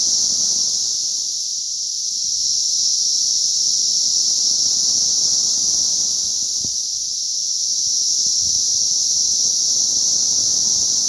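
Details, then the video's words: Emerging cicadas on May 20th 2034 keep up a piercing, even drone that swells and dips slightly twice, over a quiet background with one sharp click midway. "ATTACK OF THE CICADAS"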